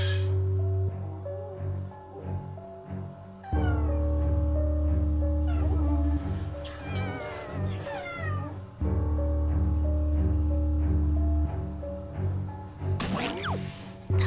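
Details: At night a former-stray domestic cat cries loudly for its sleeping owners with drawn-out, wavering meows over background music, moving from the living room to the bedroom and up to the bed; the cries keep a pregnant owner awake.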